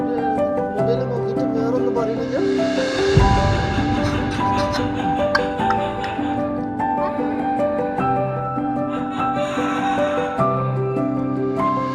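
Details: Steady instrumental music with sustained tones plays throughout, with faint voices and no clear animal sound.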